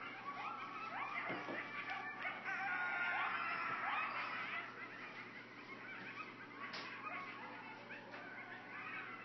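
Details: A group of coyotes (Canis latrans) howls and yips excitedly in a wavering, high-pitched chorus about 50 feet from a cabin porch near Hendersonville.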